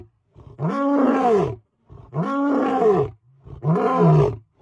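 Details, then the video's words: Lion roaring close up, three loud, rich, arched roars of about a second each in quick succession, each preceded by low grunting breaths, the final roar ending in a lower, rougher tone. "Ever seen a lion roar this close?"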